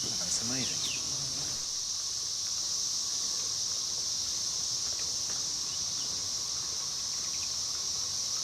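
A dense chorus of 13-year periodical cicadas forms a steady, high, unbroken hiss after brief speech.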